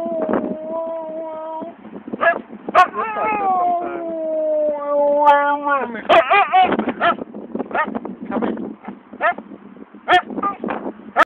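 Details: Siberian Husky howling while refusing to get into the car after a long day, wanting a walk instead: long level and slowly falling howls in the first six seconds, then yips and short cries mixed with a person's coaxing voice.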